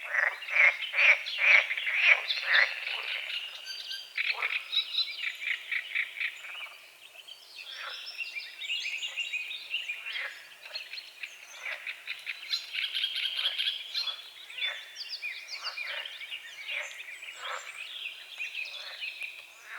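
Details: Frogs croaking at dawn on a small lake at the forest's edge, with morning fog over the water. Rapid, clicking croaks come in bursts, loudest near the start, against a dense chorus of birdsong.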